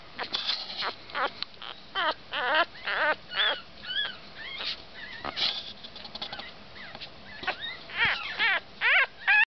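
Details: Chocolate male Havanese puppy in Tennessee with a stripe across his rear end: high, squeaky whimpers and short yelps with wavering, rising-and-falling whines, coming in quick bursts about twice a second, some overlapping.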